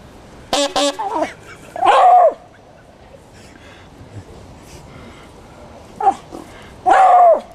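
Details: Jack Russell Terrier Squaddie answers a friend's horn during a band rehearsal for Broadstairs Folk Week, Copsale Hall, Sussex, June 2009. Short horn notes, then two drawn-out, slightly falling howl-barks several seconds apart, with quiet room noise between.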